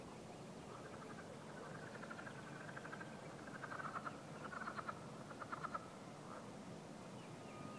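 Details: Leopard frogs giving laughing calls at a beaver pond near Lewisville Lake one morning after rain. Short rattling, pulsed chuckles arrive in quick series, growing louder midway, with a constant low rushing hiss behind them.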